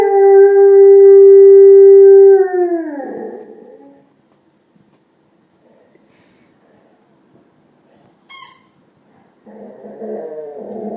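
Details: Male pet Rottweiler vocalising at his owner's feet: a steady, loud, drawn-out whine held for over two seconds before sliding down and fading, then a brief squeak and a low grumbling sound.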